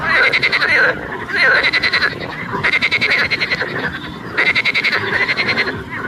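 A frog gives loud, rapid rattling croaks in bursts of about a second, repeated with brief pauses.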